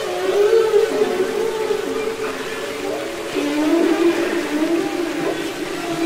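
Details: Underwater humpback whale singing from Capitol Records ST-620: a continuous wavering, mid-low moan that bends up and down without a break, with fainter higher overtones and a background wash of ocean noise.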